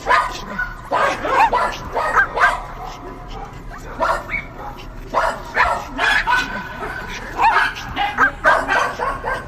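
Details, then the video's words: Dogs barking in clustered bursts of sharp barks, with occasional higher squeaky yips between groups and a faint background hum. "Barking Dogs"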